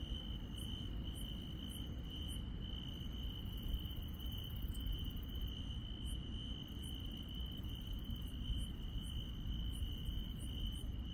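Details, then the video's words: Rural night insects hold a steady, high, ringing trill, overlaid by sharp, very high ticks about every half second in bursts. A low, constant rumble lies beneath. "시골 밤의 정겨운 풀벌레 소리"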